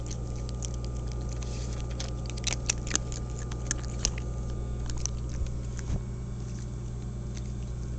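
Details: Cat 29 at its food, giving a dense run of quick crisp chewing clicks in the first half, thinning out later, with a constant low hum beneath.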